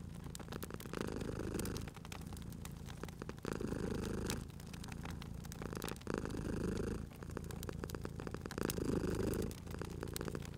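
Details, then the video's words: Sleepy cat by a crackling fireplace; a deep rumbling purr pulses in long, drawn swells about two seconds apart, with frequent loud pops and crackles from the fire underneath. "Cute Purring Cat at a Crackling Fireplace"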